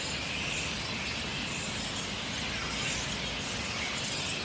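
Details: Grey-headed flying foxes keep up a constant din at their daytime camp in Adelaide's parklands on a hot day, with countless shrill, scratchy squabbling calls overlapping into a bright, crackling wall of sound with no pause.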